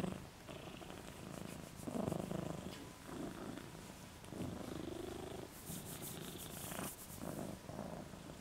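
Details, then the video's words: Moca the dog snoring with his tongue out, slow rasping breaths rising and falling in uneven bursts of about a second, with a brief high hiss near the end, in a quiet room. "Snoring Moca"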